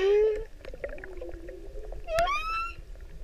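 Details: A male humpback whale sings to attract a female in the Pacific: a low, sliding moan, then a bright rising upsweep rich in overtones.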